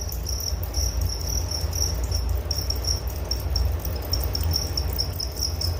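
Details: Cricket chirping as a high, rapid pulsing trill over a strong low background rumble that dominates the recording.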